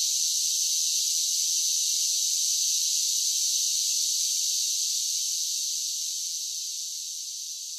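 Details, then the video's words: Cicadas in summer give a continuous high, sizzling buzz that holds steady, then slowly fades over the last few seconds; no other animals or background sounds. "10 Hours of Cicada Sounds for Relaxation with Soothing Summer Nature Sounds"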